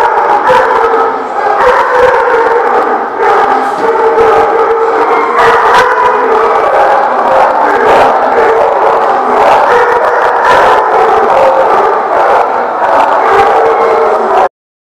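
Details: Many dogs barking and howling together at The Barking Lot on 6/18/18, a dense, continuous chorus of overlapping barks, yips and drawn-out howls with no pause through the recording.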